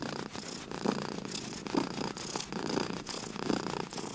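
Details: A sleepy indoor cat purring, a low vibrating rumble that swells about once per second in time with breathing, inhale and exhale phases clearly alternating.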